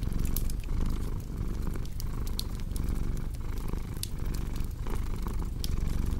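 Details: Purring cat beside a crackling fire for relaxing: a dense buzzing rumble that pulses with inhales and exhales, overlaid by intermittent crisp pops and crackles from the fireplace.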